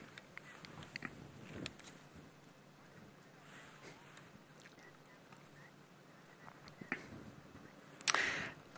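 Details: A male waterbuck grazes happily on a firebreak area during an afternoon safari drive on 13 August 2016, with soft, irregular crunching and tearing of grass, scattered sharp clicks and a louder rustling burst near the end over quiet hiss.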